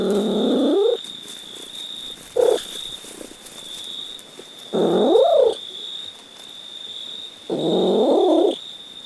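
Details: A cat makes several meows of varying length: an opening meow, a brief chirp, then two longer calls that sweep upward in pitch, all set against a steady high electronic tone.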